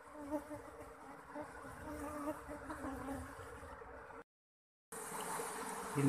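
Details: Apis cerana, the Asian honey bee, as the colony is coaxed out of a holed log with the queen still hidden in the crevices; a softer, wavering hum with faint tonal bands, swelling slightly before a cut.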